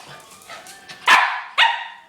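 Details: Pet dog playing with a laser gives two sharp, loud barks about half a second apart after soft background rustling.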